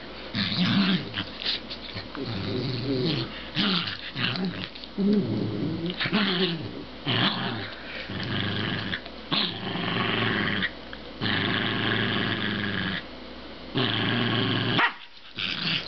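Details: Two Pembroke Welsh corgis in a mellow play session on a bed indoors, growling and grumbling in long rough bursts of a second or two, separated by short pauses, with snuffling and rustling between bouts.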